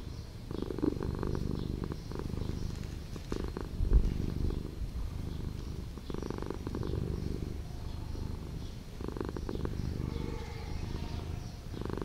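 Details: Street cat living in an old house, purring steadily indoors: a low rumbling hum with rhythmic pulses that swell in louder bursts around every three seconds, quiet and close.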